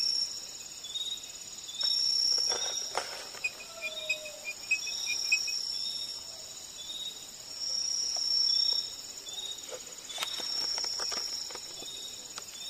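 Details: Chorus of many calling crickets in a sub-tropical rainforest in North-east India, callers competing within and between species: layered high, thin continuous trills with faster pulsed chirping series weaving through.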